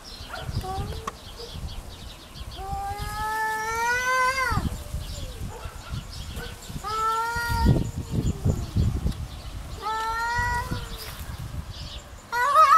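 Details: Domestic cat fighting over territory, real recording: three long, drawn-out wavering yowls, each rising slightly and then falling, separated by pauses, over low rumbling background noise, with a sharper cry at the very end.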